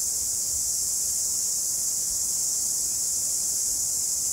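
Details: Cicadas in a New Zealand summer chorus, a steady high-pitched shimmering buzz with no breaks.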